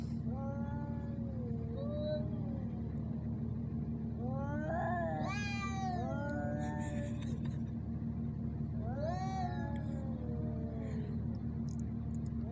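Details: Two male ginger cats fighting in Al Rahmanya, Sharjah, UAE, filmed handheld on a phone camera: long wavering yowls rising and falling, with harsher strained wails near the middle and end, over a steady low mechanical hum.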